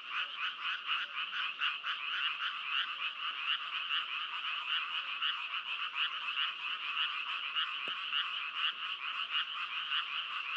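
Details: Frogs calling in a dense chorus, rapid pulsed croaks repeating several times a second in two bright bands, the rhythm steady throughout with one sharp click near the end.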